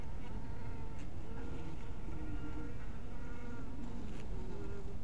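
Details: Several honey bees buzz near a bee house at twilight. Their overlapping drones slide up and down in pitch as individuals pass, over a constant deep background rumble.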